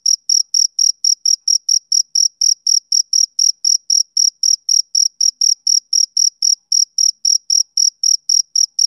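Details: Summer-evening chirping of a male cricket, with shrill, bright pulses repeating at about four a second in a tight, regular rhythm over silence.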